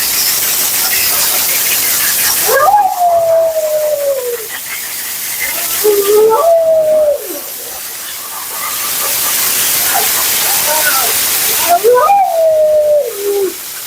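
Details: Female Siberian Husky Mila howling during her bath, blowout and grooming as her thick double coat sheds: three separate drawn-out howls, each starting with a sharp rise and then sliding slowly downward, over a steady loud rushing blower-like hiss.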